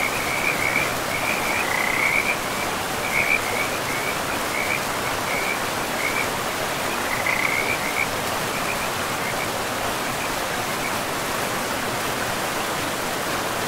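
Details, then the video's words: Frogs by a river in a pristine forest give clustered high, chirping trills during the first half, then fall quiet, leaving only the steady roar of flowing water over moss-covered land. "River and Frogs sleep sounds"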